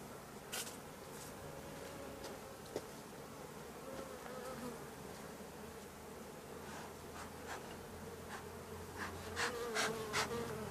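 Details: Drone-laying honey bee colony whose frames are shaken some fifty metres from the apiary so the laying workers cannot return: a soft, steady hum of many bees throughout, with scattered clicks and taps.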